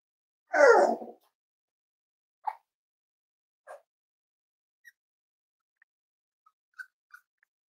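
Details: Cavalier King Charles Spaniel puppies, five weeks old, from Myra and Remy's litter at Red Barn Cavaliers, indoors during morning weight checks; one loud falling whimper, followed by a few faint, short squeaks in a quiet room.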